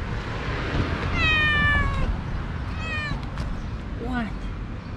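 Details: Domestic cat family outdoors, a mother cat with her four mischievous kittens and probably the father cat; several high, harmonic kitten-like meows, one long and slightly falling, then shorter ones, over low rumbling background noise and a man's voice.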